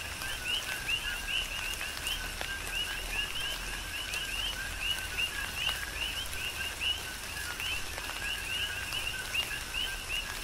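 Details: Chorus of coqui frogs on Hawaii's Big Island during a tropical rain shower: overlapping 'co-qui' double notes, a low tone followed by an upswept whistle, from many frogs, with steady rain patter and drip clicks behind.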